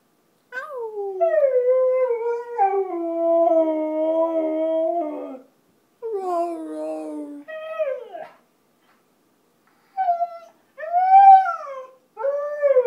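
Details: Pet Siberian Husky singing for its supper indoors: drawn-out howls that start high and drop, held steady for several seconds, followed by shorter broken howls and rising-falling yelps separated by pauses.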